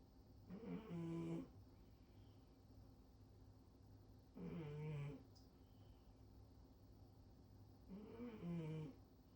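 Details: Loud snoring from a female cat sleeping belly-up on top of the fridge indoors: three long, raspy, buzzing snores roughly every three and a half seconds, deep and rumbling, with quiet room hum between breaths.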